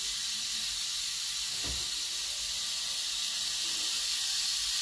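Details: Captive rattlesnake in a personal collection, said to be the largest viper in America, sounding a constant airy, high buzz, interrupted only by a short dull knock around the middle.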